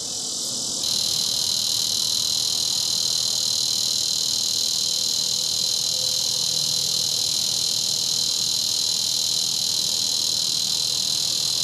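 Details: Bush cicada (Neotibicen dorsatus) calling in Topeka, Kansas: a loud, steady, high-pitched buzz that starts abruptly and holds without a break.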